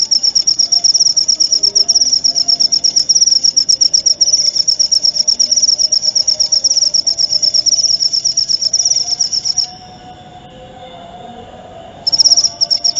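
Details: Cricket sound prepared as songbird training audio and therapy: shrill, high, rapidly pulsed trilling runs steadily for about nine seconds, stops for roughly two seconds, then resumes briefly. A faint low hum sits underneath.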